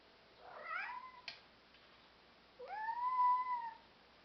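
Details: Black European Shorthair cat, indoors, giving a short wavering meow, a brief click, then a long steady drawn-out meow lasting about a second.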